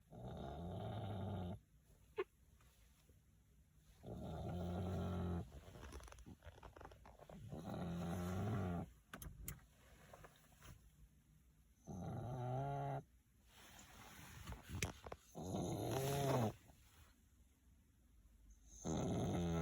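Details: French Bulldog snoring indoors: long, low, rumbling snores lasting one to two seconds each, roughly every three to four seconds, with quieter breathing between and a faint steady high hum in the room.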